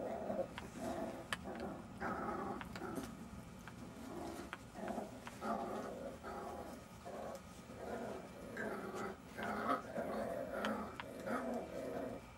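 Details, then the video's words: Jack Russell Terrier puppies at play, low rough growling with yips and small whimpers in uneven bursts, plus scattered clicks and light knocking sounds. "Jack Russell Terrier puppies"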